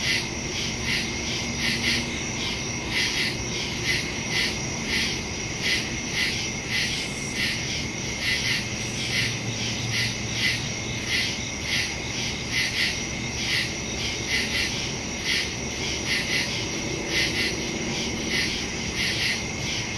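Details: Woods at night on September 2, 2023, full of crickets, captured on a Samsung Galaxy S22 Ultra with a Shure MV88+ microphone; dense, shrill chirps pulse in irregular clusters over a constant high-pitched drone.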